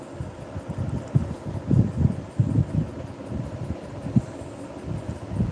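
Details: Low rumbling noise with irregular dull thumps and knocks, and no animal voice.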